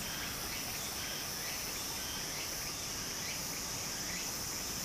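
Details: Cicadas singing in summer beside a flowing stream in Japan: a steady, high, hissing drone holds throughout over the broad rush of running water, with faint repeated chirps in the background.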